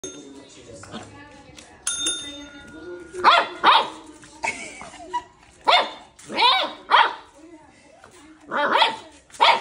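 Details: Milly, a Cocker Spaniel puppy, gives her first high, thin barks in short bursts.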